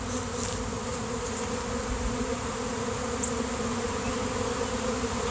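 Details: Swarm of honeybees appearing suddenly on a day of nice weather, many bees flying past a gate and clustering on a basketball hoop; a steady, dense droning hum continues without pause, with faint higher hiss above.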